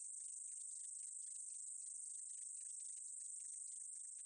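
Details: Meadow katydid from a 2020 National Institute of Biological Resources recording: a steady, very high, hissing buzz held without pause, with dense fast ticking beneath it throughout.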